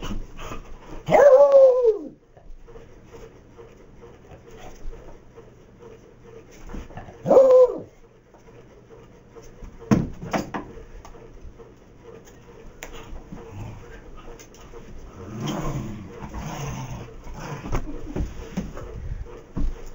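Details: Max, a Beagle, gives two loud, drawn-out harmonic barks that bend downward, about six seconds apart, with quieter clatter and household background noise between them.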